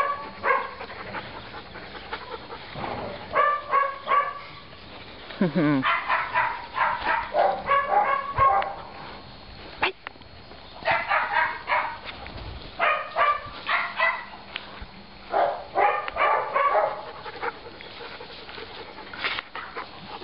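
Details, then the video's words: Young male Labrador mix, about eight to ten months old, a rescued dog in Tuscany, barking in rapid bursts of several sharp barks, repeated through the recording with short pauses and a person calling. "Byron cucciolo mix labrador"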